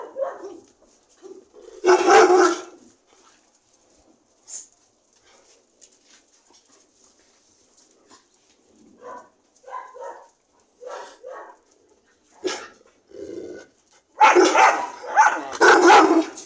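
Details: Dogs giving scattered short yips and whimpering notes, with two loud bursts of harsh barking, one early and a longer one near the end. Quiet gaps fall between the calls.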